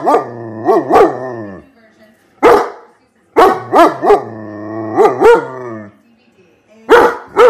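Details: German Shepherd dog barking in clusters of two or three deep, harmonic-rich barks with short drawn-out tails, separated by brief silent pauses.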